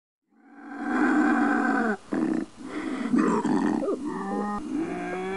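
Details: Bobcat howl from a raccoon and rodent repellent sequence: a loud, low, steady harmonic cry that breaks into rough, wavering segments before trailing off into a thinner, higher whine.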